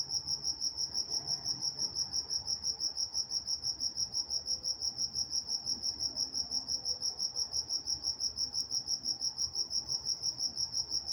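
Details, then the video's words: Crickets singing after dark in Walnut, California: continuous high-pitched chirps pulsing steadily about three times per second, plus a faint click and low background murmur. "Nature Sounds Night Time Crickets in Walnut, California"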